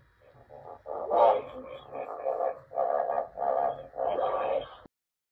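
A hippopotamus gives a series of hoarse, honking bursts that rise and fall in quick succession.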